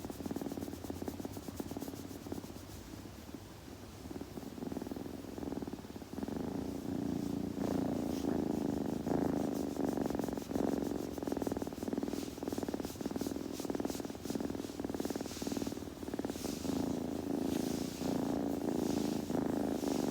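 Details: Kitten purring while being groomed, a steady low rumbling drone that grows louder partway through, overlaid with quick repeated licking and rubbing clicks of grooming in a quiet indoor setting.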